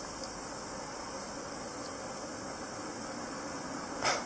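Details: Steady broadband hiss with faint ticks and a brief click near the end; no animal calls.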